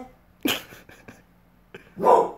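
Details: A pit bull dog indoors, reacting to a dog heard outside, lets out a sharp single bark and a few soft clicks and sniffs, then a louder rough bark at the end, in a quiet room.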